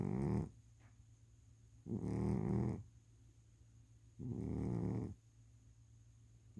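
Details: Sleeping cat snores in three harsh, low, grating breaths, each close to a second long, recurring about every two seconds with quiet gaps between, a constant faint hum underneath.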